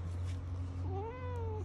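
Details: A pet cat at home growling at its owner, giving a drawn-out whining meow that rises and then slowly falls, over a steady low hum.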